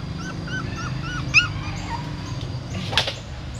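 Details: Female dog with newborn puppies at a pagoda stupa in Siem Reap, carrying them in her mouth to a new spot; thin, high squeaky whimpers rising and falling in quick succession, then a brief louder cry over a low background hum.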